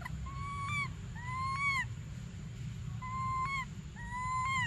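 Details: Baby monkey Briar pleads for milk with four drawn-out, tonal cries, each held level and then bending slightly upward at the end, spaced about a second apart over low background rumble.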